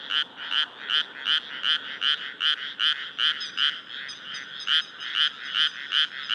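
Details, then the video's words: A frog chorus at a rice paddy in Nara, Japan, on an early-summer night with the moon rising, 25 May 2024, gives rapid, repeated bright croaks pulsing steadily, several voices overlapping. "初夏の夜、水田と月。カエルの大合唱/SONY α7SIII/リアルタイム星空動画"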